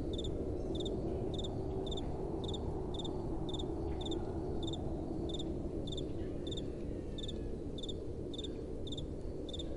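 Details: Crickets at night in a gentle breeze keep up a steady run of short, high chirps, about two and a half each second, each a quick double pulse, over a continuous low wind wash.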